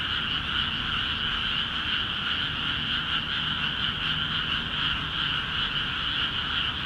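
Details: Frogs in freshly flooded rice fields of Akiha Ward call intensely together, forming an unbroken mass of rapid, rattling, high-pitched croaks with a faint low rumble underneath.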